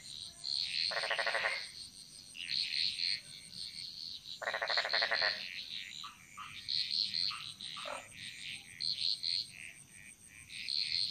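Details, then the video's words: Frogs in a Bali jungle chorus: two loud raspy pulsed croaks stand out against a mass of higher chirping, twittering calls and short whistled notes, with a persistent high-pitched insect drone. "Frog Mantras - Relaxing Sounds Of Bali"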